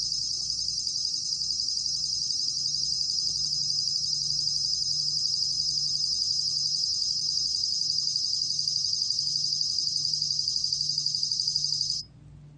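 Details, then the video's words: Bell cricket (곰방울벌레) trilling, recorded by the National Institute of Biological Resources in 2020: a long unbroken high ringing trill with faint pulsed texture that stops suddenly near the end, leaving only low hum. "곰방울벌레, 여러번 듣기, 곤충소리"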